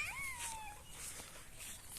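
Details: Four-and-a-half-month-old Cocker Spaniel puppy out on a night walk with another Cocker Spaniel: one thin, high whine that slides downward and fades, over soft background hiss.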